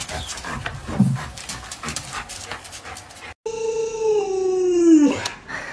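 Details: Pet Alaskan Malamute named Luoluo, reacting to the owner who is ill and unable to get up: shuffling indoor noise, a brief pause, then a loud sustained howl sinking slowly in pitch and ending in a quick upward yip.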